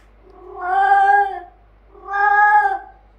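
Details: Finley, a male Bengal cat, vents loud frustration after his cat sister Leyla refuses to play: two long, drawn-out wailing meows, each over a second, separated by a short pause.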